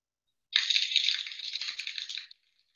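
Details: Southern resident killer whale echolocation clicks, made to find food and working like a boat sonar; a dense, rapid rattling train of sharp clicks lasting nearly two seconds, then silence.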